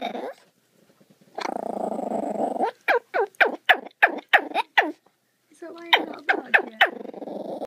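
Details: A young pup doing his weird bark: rough, growly stretches of sound framing a rapid burst of about seven sharp, yelping barks, then more short yelps, with a human voice faintly present.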